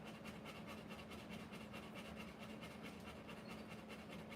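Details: Rottweiler giving birth to puppies, breathing in quick, soft, breathy bursts at a steady pace of about 94 per minute, over a constant low electrical hum.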